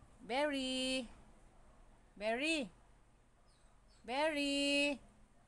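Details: Siberian Husky arguing indoors, giving three drawn-out, tonal woo-like calls about two seconds apart, each rising then falling and rich in harmonics, separated by quiet gaps with a faint steady hum.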